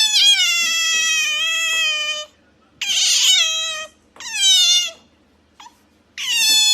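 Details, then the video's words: Pet otter giving cat-like calls: long high harmonic wails, the first over two seconds, followed by shorter falling cries and a brief squeak, quiet indoors between calls. "Otter Chiro makes cat noise"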